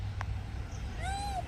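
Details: A banana-eating monkey gives a short, arched tonal squeal with clear harmonics, rising and then falling within half a second. It comes after a brief click, over steady low background hum.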